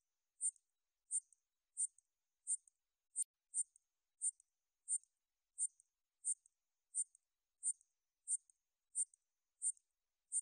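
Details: Katydid recorded by the National Institute of Biological Resources in 2020, giving short, high, buzzy chirps repeated steadily about every 0.7 seconds, some fifteen in ten seconds, against an otherwise silent background.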